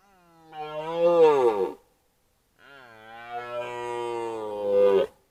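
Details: During the 2025 rut a red deer stag calls at a camera trap: two drawn-out throaty roars separated by a short pause, each rich in harmonics, the second steady and rising in force toward its end.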